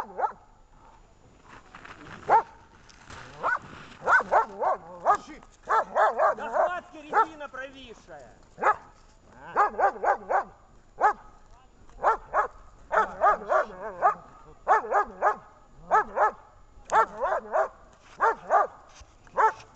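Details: German shepherd barking during protection training on 10 February 2019, with rubber-toy and search work: loud, harsh barks in rapid bursts of two to four, repeated through the stretch. A handler speaks between them.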